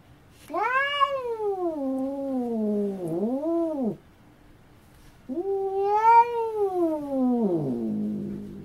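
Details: Domestic cat giving two long wavering meows, each several seconds, the first sliding down then wobbling up and down, the second arching up then trailing low, with a quiet gap between them.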